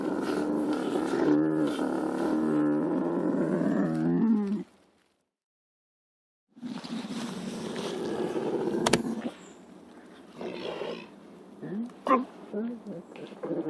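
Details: Lynx producing a long, wavering, throaty growl of about four seconds, then after silence a noisier rasping call, followed by scattered short grunts and knocks.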